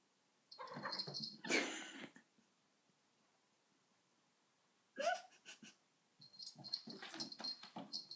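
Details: Sona, a dog, with a cushion indoors: two bursts of rough, breathy wheezing snorts, a long silence, then a shorter huff and a final run of raspy, hissing breaths in a small quiet room.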